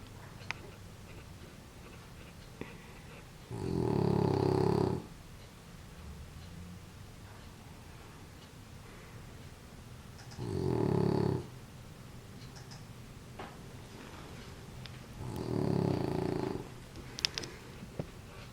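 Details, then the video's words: Female French Bulldog sleeping indoors, wrapped in a warm blanket after a bath, snoring loudly: three long, harsh, low rasping snores roughly every six seconds, each lasting one to two seconds, with quiet breathing between. "Sleepyhead French Bulldog snoring loudly."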